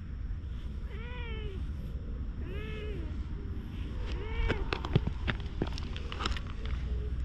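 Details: Stray cat suddenly rolling about on the ground, appealing for something; three clear, arched, mid-pitched meows about a second and a half apart, followed by scattered sharp clicks and taps over a steady low background rumble.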